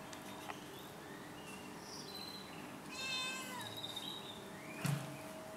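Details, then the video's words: House cat giving one clear, drawn-out meow midway with a bending, tonal shape, framed by quiet room noise and a brief thump near the end. "Meowing cat"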